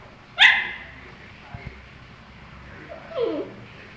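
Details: Husky named Tequila giving one sharp, loud bark early on, then after a quiet pause a shorter, falling, whining yelp near the end; otherwise a still indoor background.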